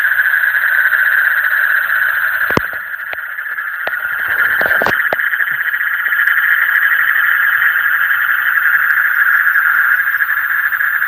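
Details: Frog chorus in the deep night, a continuous high, shimmering trill of many rapid pulses holding one pitch, interrupted around the middle by several sharp knocks or clicks before the steady droning resumes.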